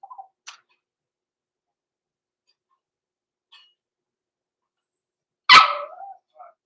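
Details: Six-week-old blenheim Cavalier King Charles Spaniel puppies, Roman and Blue, born November 14, 2022, overnight in an indoor puppy pen: a soft whine at the start, a few tiny squeaks, then one sharp, loud yelping bark trailing into a short whine.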